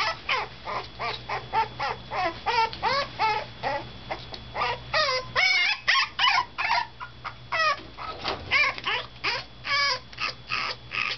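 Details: Toy Poodle puppy, five days in a new home, sobbing as an older resident dog looks on: rapid, repeated high whimpers and yelps, each sliding up or down in pitch, continuing without pause for over ten seconds.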